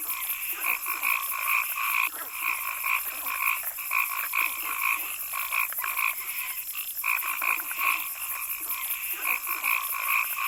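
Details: Frogs in a forest call in a steady chorus of short, bright, repeated notes over a constant high insect hum.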